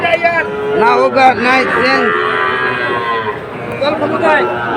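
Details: Moos from Sahiwal bull calves at a Cumilla cattle market, 17 August 2024: a run of short, rising-then-falling bellows near the start, then fainter lowing under crowd noise and voices.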